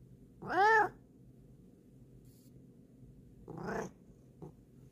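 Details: Female pet cat indoors giving two meows: a loud, clear, rising-then-falling meow, then a softer, shorter second meow about three seconds later, with a faint click at the end over a quiet room hum.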